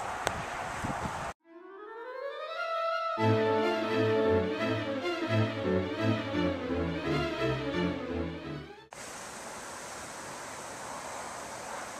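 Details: Instrumental music with layered sustained tones and a rising opening note, framed by stretches of broad steady hiss; no animal voices stand out.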